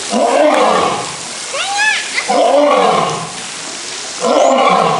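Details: Old, skinny lion giving a series of hoarse, drawn-out roaring moans roughly every two seconds, with brief upward-sweeping calls in the gaps between bursts.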